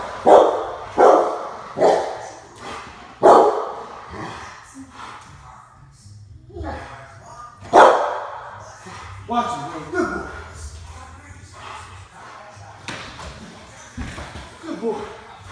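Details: A 24-month-old male Rottweiler protecting his home from an intruder gives deep, forceful barks in short bursts, with human voices in between.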